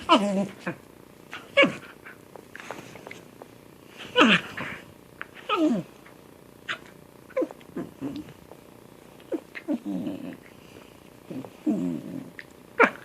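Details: Playing domestic cat giving odd chattering chirps and short falling mews at irregular intervals, a few louder squeaky calls standing out, with soft rustles between calls.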